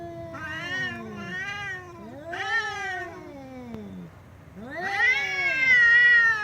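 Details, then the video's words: Pet cat producing a run of funny vocalizations: sliding, falling meows in quick sequence, then a longer loud rising-and-falling wail near the end. "Funny Sounds Cats Make"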